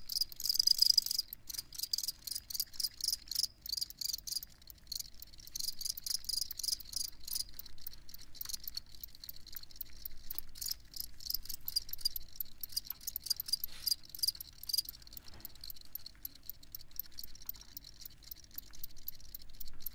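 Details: Crickets chirping for a sleep soundscape, a dense, fast, high-pitched pulsing chorus that runs on without pause, slightly softer and more blended than a single nearby caller, with a faint low hum beneath.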